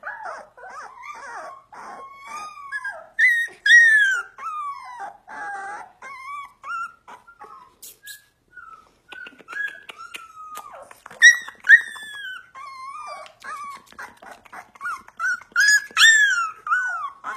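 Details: Husky giving a long run of whining, yelping howls indoors: wavering, falling tonal notes in quick bursts with brief pauses, rising again toward the end; a woman talks to the dog softly.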